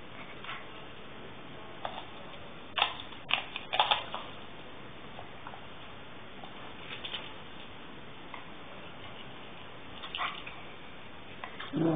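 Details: Scattered clicks and taps indoors in a small room, over a faint steady hiss.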